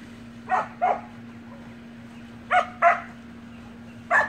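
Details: Samoyed puppies playing with siblings in a pool give short, high yappy barks, mostly in pairs: two near the start, two more midway, one at the end, over a constant low electrical hum.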